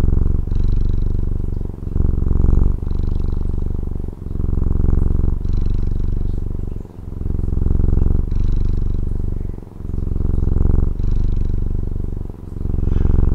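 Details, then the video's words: Taiwanese house cat purring, a steady low throaty vibration in fast even pulses, rising and falling in breath-length waves with short dips between them, around nine cycles heard; quiet background. "Satisfying Cat Purring ASMR | Relaxing Cat Purring Videos"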